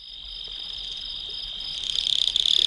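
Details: A cricket sings late at night, a steady, high, continuous trill that grows louder and more pulsed toward the end; no other sounds stand out.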